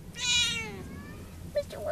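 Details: Male Munchkin cat, recorded 12-13-11, which loves to roll: one loud, drawn-out meow, bright and harmonic, lasting about half a second, followed by a woman talking softly to him.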